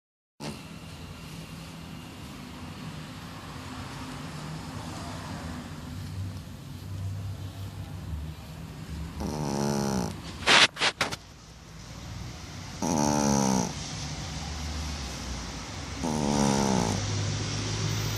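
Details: A Shih Tzu snores after a bath in rough, rattling bursts over a steady background hum.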